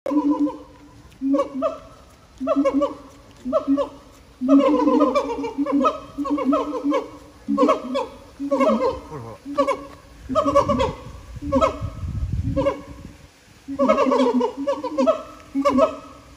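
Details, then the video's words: Captive siamangs singing at Japan Monkey Center, their throat sacs making the voices very loud: loud, harmonically rich hooting calls in short bursts about every second, with rising and falling notes and a deep rumbling passage in the middle. "歌うフクロテナガザル | Singin siamangs"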